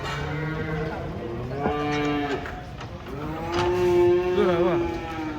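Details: Large cattle being unloaded from a truck in Indonesia, startled and brought inside so it would not run onto the road: two long, steady, tonal moos with rich harmonics, the second rising slightly at its end, over people talking.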